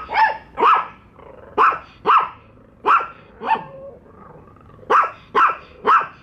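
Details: Pet dogs Bico and Faith, meeting a toy dog for the first time, bark at it: about ten sharp, loud barks in six seconds, in pairs and short bursts, with brief growly pauses between them.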